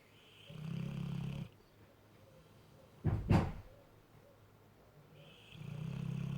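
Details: Sleeping mastiff snoring while cuddling a cat: two long, low, rasping snores about five seconds apart, each lasting about a second, with a sharp knock between them and a quiet room.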